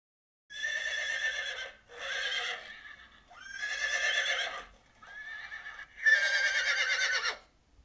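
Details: Horse whinnying in five loud, tremulous bursts, each a rich harmonic neigh with quivering pitch, the later ones opening with a short upward slide; brief quiet gaps between calls and no other sounds.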